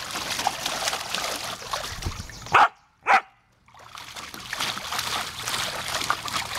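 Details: Female Samoyed playing with water from a garden hose in her pool on a hot summer day: steady hiss and splashing of water, broken by two short, sharp barks about half a second apart, after which the spraying resumes.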